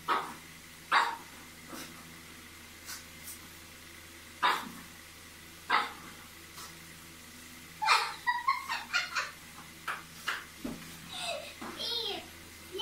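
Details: Pug at play indoors during a fluff challenge game, searching for its owner, filmed in 2018: a series of short sharp barks and yips at irregular intervals, some closely bunched, with a steady electrical hum and faint human voices.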